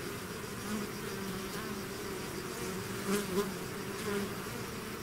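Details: Bees swarming out of their hive: thick, unbroken humming from countless wings, low droning tones that waver slightly, with brief louder buzzes as single bees pass close around three and four seconds.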